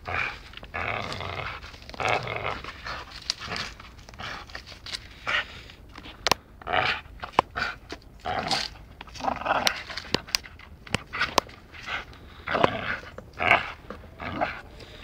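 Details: Playful dachshund biting during rough play: rapid, irregular bursts of raspy growls and huffing snorts, interrupted by sharp clicking and knocking sounds, continuing throughout with brief pauses.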